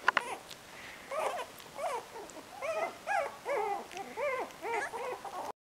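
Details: A male Cocker Spaniel, described as worked up and agitated, whines in a rapid series of high, arching, nasal whimpers.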